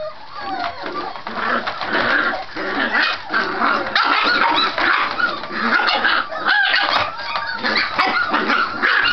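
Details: Several Scottish Terrier puppies playing, very vocal to seem more vicious though not actually fighting; a dense, continuous jumble of overlapping yips, growls and squeaky barks from multiple pups with no pauses.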